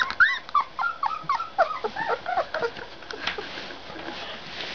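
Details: High, wavering puppy whines come in quick succession, short falling and bending yelps packed close together for about three seconds, then trailing off into soft background rustle.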